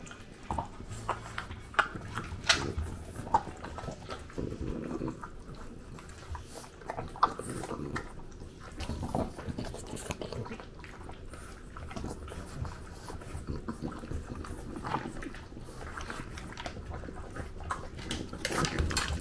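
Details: French bulldog eating breakfast indoors in Japan, filmed on a DJI Pocket 2: irregular crunchy chewing and soft clicking bites scattered through the clip in a small quiet room.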